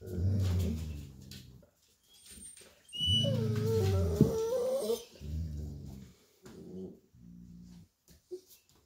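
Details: An adult male Golden Retriever babysitting puppies indoors gives low, drawn-out grumbling vocalizations with a brief whining rise.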